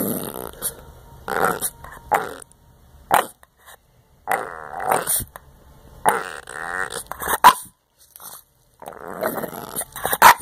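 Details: A Boston Terrier eating homework gives rough, grumbling growls in uneven bursts, as if "talking" about it, with sharp clicking noises between them.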